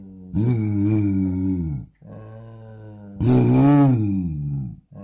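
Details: Basset hound dog vocalising in the morning inside a small room: two long, low, groaning howls with a rich harmonic stack, each lasting about one and a half seconds, separated by a short pause.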